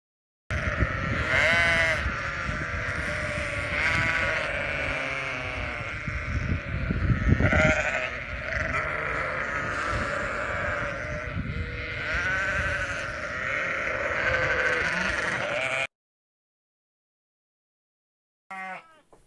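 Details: Sheep and lambs kept as farm animals, bleating almost nonstop for about fifteen seconds: overlapping, wavering, nasal bleats from several animals layered together, then a short gap of silence before one brief final bleat.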